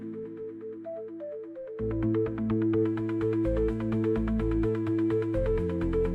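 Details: Electronic synthesizer music with a steady beat and repeating melodic notes; no animal sounds are heard.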